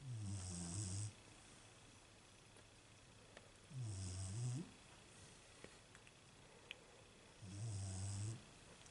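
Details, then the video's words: A female Beagle asleep, snoring in a steady rhythm. Three deep, buzzing inhalations roughly every three and a half seconds, each carrying a breathy hiss, with faint small clicks between them. "My Beagle Snoring"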